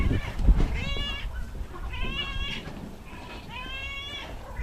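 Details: Domestic cat meowing three times, each meow a drawn-out, slightly rising then falling cry about half a second long, spaced about a second apart, over background noise and clatter.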